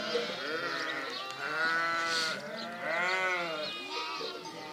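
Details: Overlapping sheep bleats rising and falling in drawn-out arcs, two stronger quavering calls standing out above a busy flock background.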